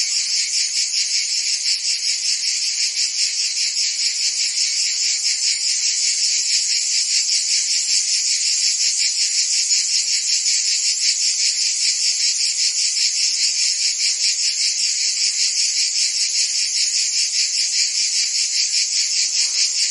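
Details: A continuous wall of high cricket chirping, thin and buzzy, pulsing rapidly and evenly for the whole stretch, with nothing else heard.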